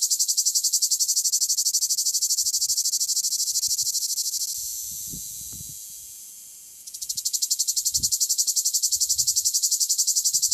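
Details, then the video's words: Southern French male cicada: a strong pulsed buzz that fades to a smooth, quieter hiss for a couple of seconds, then abruptly resumes its rapid, even throbbing; faint low knocks beneath. "Cicada singing"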